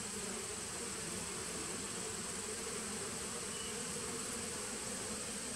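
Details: A nuc of honey bees, begun in 2017 and recorded September 19, 2018, gives a continuous low buzzing drone without pauses, over a steady high-pitched background hiss.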